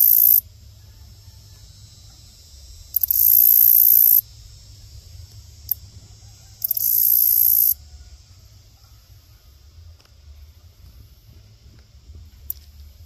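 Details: Grasshopper giving its mating call: two long, very high hissing buzzes of about a second each, with several isolated sharp ticks in between, over a quiet low rumble.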